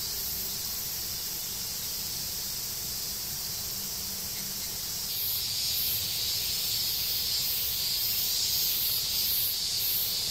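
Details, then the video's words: Cicadas in the woods beneath the Yoro Mountains in Japan, along the Tokai Nature Trail between Yoro Station and Sekigahara: a dense, steady high hiss, swelling after five seconds with faint pulsed bursts at the very top, roughly twice per second. "Marching to a Japanese cicada sound track."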